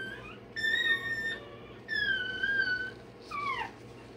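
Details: A one-day-old Rottweiler puppy getting its tail and dewclaws done gives three loud, drawn-out, tonal whines, the last sliding sharply downward, with a faint hum underneath.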